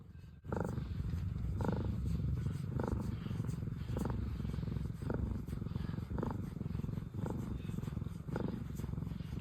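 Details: Steady low rumbling purr from one of two indoor sister cats, former rescues, content while being petted, pulsing with soft breathy surges roughly every second; a woman speaks softly nearby.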